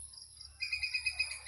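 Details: Squirrel around Chaprashirhat: after a quiet start, a fast run of high, slightly blurred chipping notes, about eight per second, continuing to the end.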